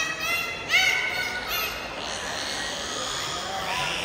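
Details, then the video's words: Bottlenose dolphins at a dolphinarium show in Dubai give short, high whistled chirps over the echoing murmur of a crowded hall. "డాల్ఫిన్స్ అయితే ఏ రేంజ్లో అరుస్తున్నాయో చూడండి."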